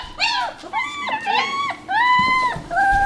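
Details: Young German Shepherd puppies at three and a half weeks, born December 27 2013, let out drawn-out, bending whines and cries, some long and level, others falling, between faint background noises indoors.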